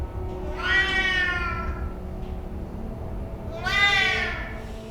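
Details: Anxious Siamese cat that screams over a thousand times a day and keeps its owner awake all night: two drawn-out, richly harmonic yowls, each about a second long, rising then falling, with a quiet gap between and soft background music.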